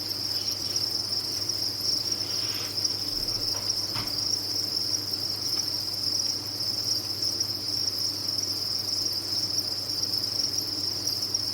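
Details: Farmed crickets in a large captive group produce a continuous shrill chirping chorus, even and unvarying in pitch and loudness, over a soft low hum and a couple of faint clicks.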